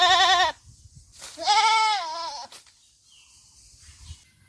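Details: Farm goat giving loud quavering bleats, one cut off at the start and a fuller trembling bleat near the middle, followed by quiet low background hum.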